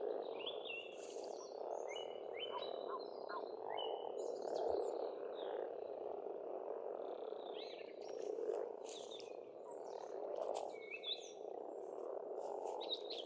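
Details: Springtime croaking of many frogs at a pond in rural Estonia forms a continuous low chorus. Busy bird chirps and clicks come and go above it throughout.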